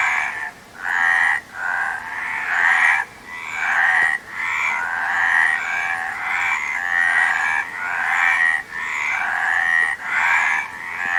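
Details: Frogs croaking in a busy chorus, rhythmic rasping pulses overlapping continuously, with short quiet breaks recurring roughly every one to two seconds.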